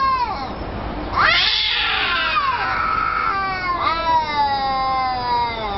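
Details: Domestic cat making long, drawn-out talking meows, one rising sharply then sliding down in a wavering, rich-toned wail, followed by another bending yowl near the end.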